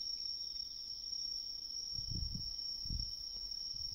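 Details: A Japanese tree cricket (kantan) in autumn riverside woodland sings a steady, unbroken high trill with a few low thumps.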